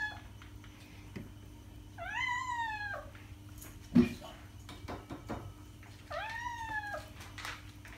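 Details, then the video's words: Two plaintive, arching meows from a domestic cat about four seconds apart. A sharp knock and faint rustling fall between them, over a steady low hum. "Cat sound - cat meowing to attract cats"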